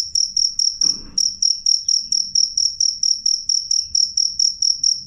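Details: Loud, clear cricket song: sharp high-pitched chirps in an even train of roughly four per second, briefly overlaid near the start by a short burst of rustling noise.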